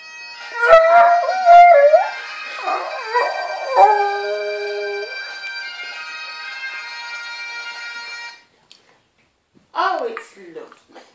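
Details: Pet dog howling along to bagpipes: wavering, sliding howls rise and fall over the first four seconds against the droning pipes, the pipes carry on alone until about eight seconds, then a brief quieter howl returns after a short silence.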